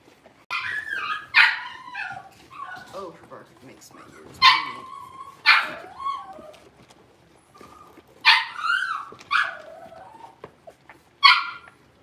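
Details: Cavalier King Charles Spaniel puppies, blenheim-coloured and six weeks old, a litter of five in a home puppy pen. Repeated shrill yelps and whiny barks come in bunches of two or three, with softer whimpers and faint talking between.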